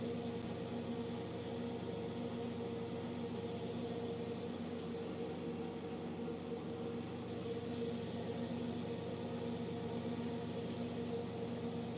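A steady mechanical hum with a constant low tone, like an incubator or motor running, and no animal calls.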